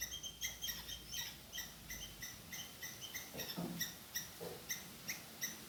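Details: Squirrel shouting at a chasing cat on a hidden camera; rapid chips come in quick clusters, then slow to spaced single notes, with a brief rustling knock partway through.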